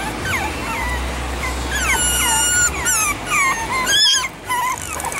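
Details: Chihuahua puppies from Edmond, Oklahoma whining in thin, high cries that slide down in pitch, some wavering, calls tumbling together in short runs, over a steady background hum.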